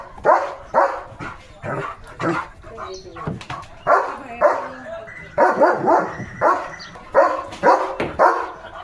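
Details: Leo, a pet German Shepherd, in an excited hyper mode as he is given a new chocobar-shaped toy: loud, rough barks in irregular bursts roughly every half second to second, with a person talking between them.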